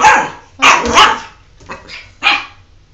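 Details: A pet dog named Jordan protests a bath with four quick, high, whiny yelps, two close together near the start, then a softer one and a final sharp yip, with tonal whine running through each.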